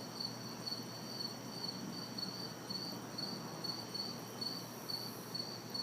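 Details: Crickets and cicadas chirp in a city backyard on a hot, humid summer night. Rhythmic high pulses come roughly twice a second, with gentle distant traffic noise filling the background.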